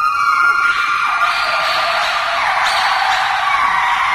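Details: A white-cheeked gibbon sings at Brookfield Zoo, a loud, sustained, high, tonal cry that steps down in pitch.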